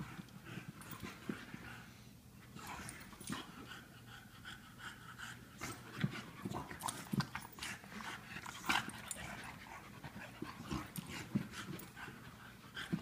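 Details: Lola the English Bulldog and Mr. Fitzgerald the Wheaten Terrier at play: steady huffing pants and snorting breaths repeat throughout, mixed with scuffles and clicking knocks of the romping pair.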